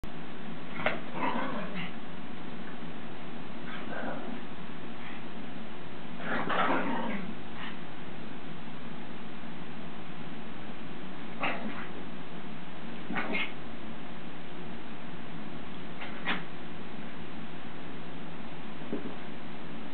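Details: Two dogs, Punky Lord Byron and The Ninja Widget, playing together, shown in slow motion; scattered short growly yips and bursts, with the loudest near the start and middle, over a steady low background hum.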